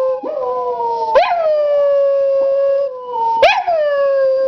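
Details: Coney, a pet dog who howls whenever he hears a fire truck, holds long steady howls. Each starts with a sharp upward yelp and then settles into a sustained even tone. Two such howls run back to back.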